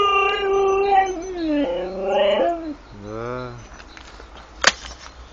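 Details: ['Husky filmed with a GoPro in the Urals produces a series of drawn-out, wavering howls, then a lower moaning whine that rises and falls, ending with a sharp click and quiet background rustling.']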